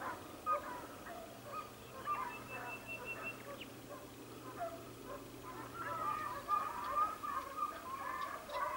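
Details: Segugio Italiano hounds, Sofiko, Evros, 12 June 2021: quieter, more distant baying with scattered yelps that swell into a louder run of bays near the end, over a low background hum.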